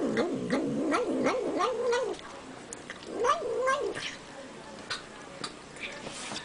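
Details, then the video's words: Pet cat making funny noises while eating indoors; warbling, wavering murmurs in two main bursts, with smacking chewing clicks between them. "Cat Making Funny Noises While Eating"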